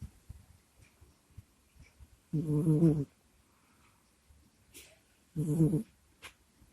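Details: Sleeping house cat Kusya snores into a microphone: two low, rough, buzzy breaths about three seconds apart, each lasting under a second, with faint snuffles and small clicks between them in a quiet indoor room.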